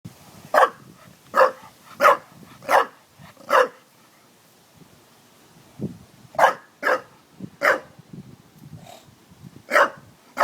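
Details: Dog barking at a water jug: sharp, loud barks, five in a quick run, then a pause, then another burst of barks with a few softer low grunts between them.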